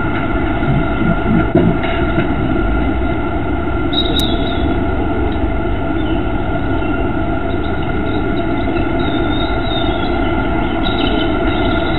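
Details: Steady low rumbling with a droning hum like a passing train or engine, and no clear animal calls.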